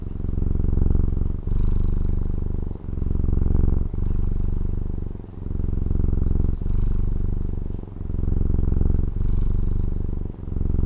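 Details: Low, throaty purring from a domestic cat in Taiwan, heard close by: rhythmic rumbling in repeated breath cycles of just over a second, each marked by a faint click-like break where the phase switches.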